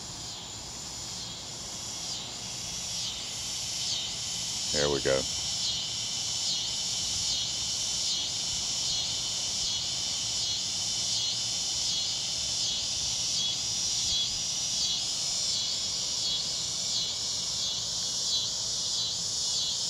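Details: A dense daytime cicada chorus mixed with crickets gives a high, shimmering buzz that swells and pulses steadily from many insects heard all around.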